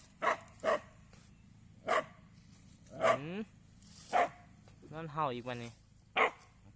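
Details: Dog barking at cows at Wat Pa Thammakaram temple, Na Thom, Nakhon Phanom, Thailand: six sharp, short barks at uneven intervals over about six seconds, outdoors, with a man talking between them.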